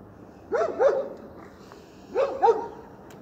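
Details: Kerry Blue Terrier giving two short bursts of barking, each a pair of quick sharp barks about a third of a second apart, the bursts roughly one and a half seconds apart, over a low steady background hum.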